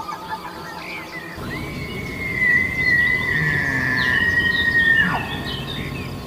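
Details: Deer. A deer gives a drawn-out bugle: a high, pure whistle held for about three seconds, then a sudden falling glide. A low, rumbling background noise runs throughout.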